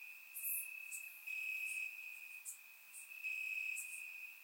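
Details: Night chorus of crickets in summer grass, Bulgaria, surround-microphone recording: continuous high-pitched trill swelling in loud stretches, overlaid with brief very high ticking chirps from other callers.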